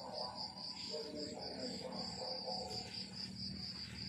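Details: Crickets in the rural morning chirp in bright, high pulses repeated roughly four times a second, a continuous rhythmic trill above a dull low-pitched background murmur.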